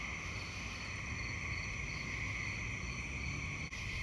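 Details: Many gray treefrogs call together on a midsummer night in New Jersey after a dry spell, their musical trills merging into one continuous high ringing drone, with a low rumble of wind or handling noise and a brief knock near the end.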